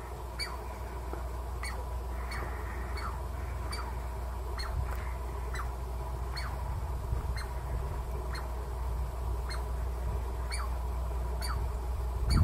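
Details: A Douglas squirrel (chickaree) gives sharp, downward-sliding barks over a low rumble, repeated steadily about every second; these barks warn of danger or defend territory.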